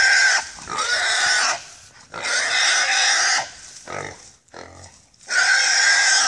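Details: Pig squealing during a hog hunt on the Sulphur River: loud, harsh, broadband screams in long bursts of about a second, separated by short gaps, with a few quieter grunting squeals between them.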